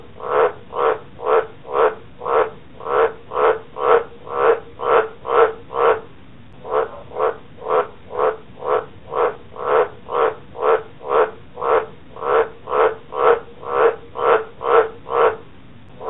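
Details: Green tree frog croaking after its rescue from a council lawn mower injury: long run of evenly spaced, resonant, low croaks about two per second, one brief pause near the start, nothing else audible.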